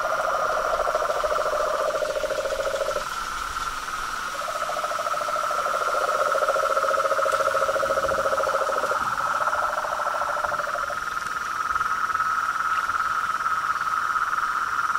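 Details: Chorus of frogs and toads: overlapping sustained trills, a lower pulsed trill stopping and restarting in long stretches beneath a continuous higher trill, with a faint steady high-pitched hum.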